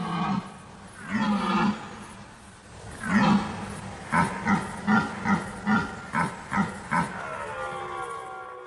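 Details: Red deer in an autumn forest during the rut, harsh voices echoing through the woods: two long, deep drawn-out roars, then a rhythmic series of about eight short gruff grunts spaced roughly every half second.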